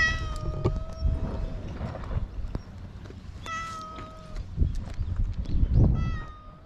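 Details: Stray island cat, filmed with a GoPro HERO8, gives three drawn-out, steady meows: one at the start, one mid-clip, one at the end. Each lasts about half a second to a second, over a low wind rumble and faint handling thumps.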